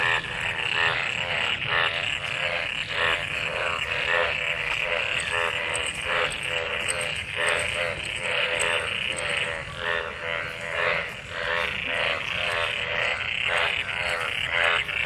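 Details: Many frogs gathered in rainwater pools after monsoon rain, calling while mating: a dense, continuous chorus of harmonic, nasal croaks overlapping in rapid pulses, with no quiet gaps between callers.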